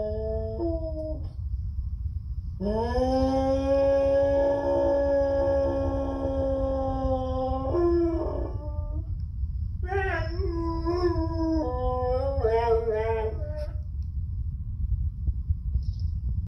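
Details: Rue, an Airedale Terrier, howls indoors: a long steady tone held about five seconds, then a series of shorter wavering, rising-and-falling howls, over a constant low rumbling background.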